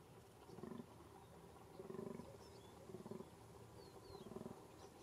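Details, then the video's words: Fallow deer during the 2021 rut in a small game enclosure in Bohemian Paradise, Czech Republic: a series of deep, hoarse, pulsing groans, four bursts spaced about a second apart, with faint bird chirps above. "Z dančí říje 2021 Dama dama"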